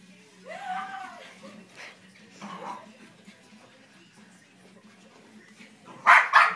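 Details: Eight-month-old female Havanese puppy at play: a person speaks and laughs first, then two quick, loud, sharp barks close together at the very end, over a low background hum.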